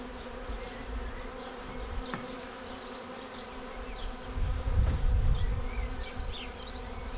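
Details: Honeybee swarm arriving at a swarm trap on 19 May and filing into the bait hive; a steady low hum of many bees, swelling louder around the middle, with faint bird chirps high above.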